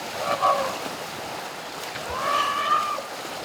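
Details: In a river at Elephant Nature Park, baby Asian elephants Pyi Mai and Chaba and their parents splash and roll in excitement. Two clear, harmonic squeals swell, rise slightly and fade over steady, hissing, splashing water.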